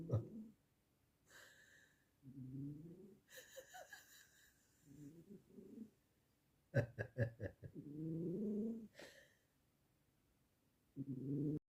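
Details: Cat asleep and snoring, low grating snores recurring about every three seconds, each drawn out for roughly a second; bursts of human laughter and sharp clicking sounds fall in the gaps between snores.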